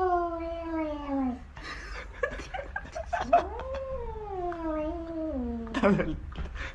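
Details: Domestic cat giving drawn-out yowling meows indoors: a long, slowly falling wail, a short pause, then a rising cry that sags gradually downward, with people talking and laughing around it.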